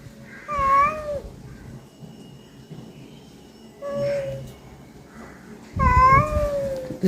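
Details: Housecat meowing after being fed, three distinct calls: a short clear meow, a softer brief one about three seconds later, then a louder stretched meow, with low rustling underneath the last call.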